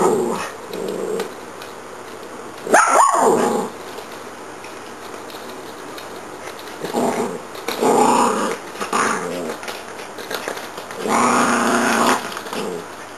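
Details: Santa and Minnie, two dogs at play with a Zig 'a' Zag ball inside a room: throaty growls rise into a short bark, followed by sustained rumbling growls lasting over a second, with a sharp knock near the start.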